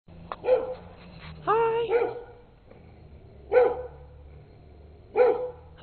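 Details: Wary female Old English Sheepdog (bobtail) keeping her distance behind a fence, barking at two people walking past with a camera, 2008: single harsh, harmonic barks spaced one to two seconds apart, one drawn-out bark, with faint low background hum.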